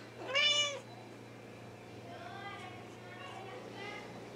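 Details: Wichien Maat cat named Rommel, recorded July 2017, gives one loud, drawn-out meow that rises and falls near the start, followed by fainter, softer harmonic calls over a steady low indoor hum.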